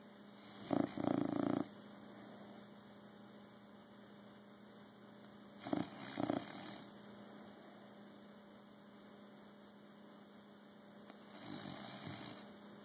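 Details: Sleeping bulldog snoring in a slow rhythm: three rough, vibrating snores spaced roughly five seconds apart, each a doubled rattle with a breathy rush, and a faint steady hum throughout.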